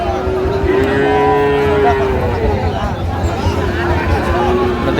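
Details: Sahiwal bull calf, about eight months old, being bought by a woman farmer from Jessore, Bangladesh; one long steady low moo that holds its pitch for over a second, then softer lowing, over crowd murmur and talk.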